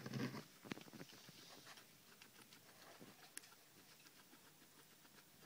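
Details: Cucumber being munched by pet guinea pigs at night, a dense patter of small crunching bites, louder at the start and fading to lighter nibbling.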